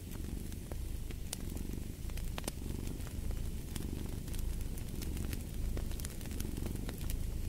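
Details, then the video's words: Continuous low cat purr, deep and rumbling with gentle rises and falls, while wood in a fireplace crackles and pops sharply throughout. "Purring of a Cat"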